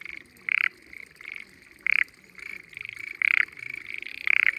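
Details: Hidden frogs in the water of spring rice fields on a mountainside in Japan, on a sunny day, call in a chorus, with loud bursts of rapid pulsed croaks over a steady trilling background.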